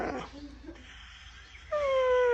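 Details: Siberian Husky giving a drawn-out whine that starts high and slides slowly downward with bright harmonics, after a second of softer rumbling vocal sounds and faint low background hum.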